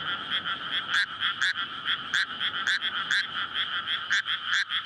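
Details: Frog chorus at night in May from flooded rice paddies before planting, males calling in courtship to breed, in a paddy surrounded by housing; dense overlapping croaks with two steady bands and sharp pulses several times a second, recorded on a SONY PCM-D100.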